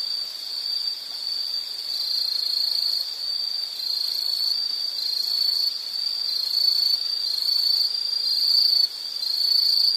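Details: Insect chorus from a nature relaxation recording: a shrill, steady high-pitched trill that wavers slightly in pulse and swells in loudness after the first seconds, with no other clear sounds.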